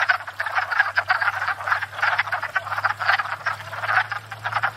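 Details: Many wood frogs courting and breeding at a pond in spring: a continuous racket of short hoarse clucking croaks piling over one another, plus a low steady hum in the background.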